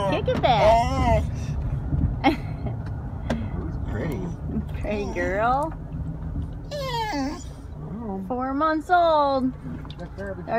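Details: Four-month-old female Alaskan Malamute making funny talking noises inside a car, likened to an old man; wavering, bending howl-like moans and yodels that rise and fall, interleaved with human speech and engine rumble.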